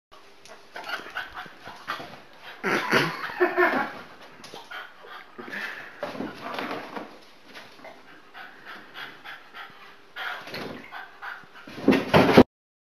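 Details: A Boston Terrier pants, grunts and whimpers in short bursts of effort while trying to get to a pilates ball.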